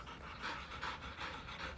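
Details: Siberian Husky indoors after fighting over a new bed: quick rhythmic panting, breaths about every quarter second, steady and close.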